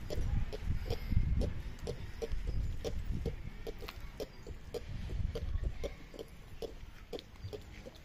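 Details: Ring-tailed lemurs recorded at Tierpark Ströhen zoo: a steady series of short, soft grunting clicks, about three to four per second, over low rumbling background noise.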